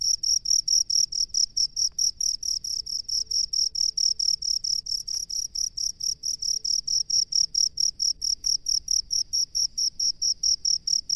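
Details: Sustained run of sharp, high, metallic chirps from a rice-field cricket, pulsing roughly four times per second throughout, steady and unbroken over soft background rumble.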